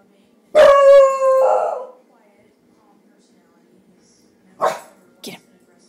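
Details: Pet dog at play with its companion Roxy or Bowser lets out one long, tonal howling bark that breaks into a rougher tail, then after a pause two short sharp barks.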